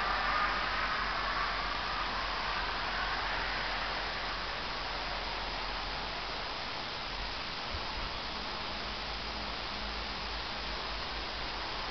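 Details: Steady broadband rushing noise, like wind or a passing vehicle, fills the recording with no animal voice.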